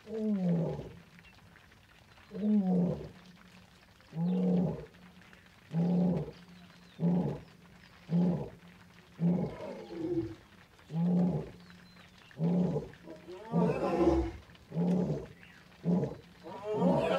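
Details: Lion roaring in the late evening after heavy rain in Naboisho Conservancy, Maasai Mara, Kenya, where a male and his nearby pride were calling: a series of about twelve deep, grunting moans repeated roughly every one and a half seconds over soft rain hiss.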